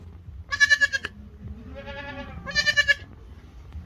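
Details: Goat calling its herd, two trembling nasal bleats separated by a softer, fainter bleat, over a low background hum.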